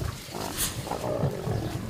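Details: African lion pride with adult males grumpy about sharing food with the mothers and new cubs; a short, deep, rough rumbling roar with broadband noisy bursts.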